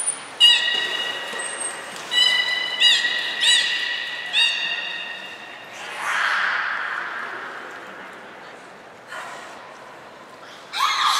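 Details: Belugas Hodoi, Taanya and Mirai at Port of Nagoya Public Aquarium on 14 March 2021, during pool moving and training. Series of short, bright harmonic squeals in bursts, with a high whistle-like tone at the start and a hall-like background.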